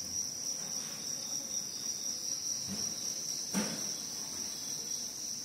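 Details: A level, ringing high trill from crickets runs without a break, interrupted only by one short knock just past three and a half seconds.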